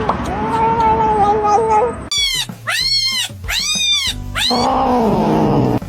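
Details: Kittens meowing: a run of four or five loud, arching meows in quick succession, each sweeping up and then down, set between stretches of steady musical tones at the start and end.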